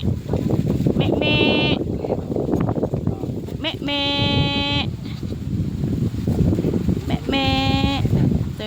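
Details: Newborn goat kids, playful, visited in a farm field: three clear, steady, nasal bleats, each about half a second to a second long, spaced roughly three seconds apart, with people talking continuously underneath.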